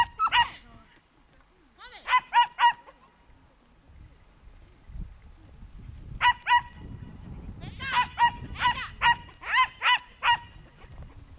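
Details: A young Schipperke at a herding training course in September 2010 gives sharp, high-pitched barks in quick bursts of two to five.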